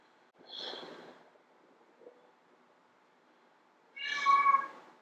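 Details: Female domestic cat calling to attract males: a softer, breathy first meow, a faint short sound in between, then a louder, strongly harmonic meow near the end over a faint low hum.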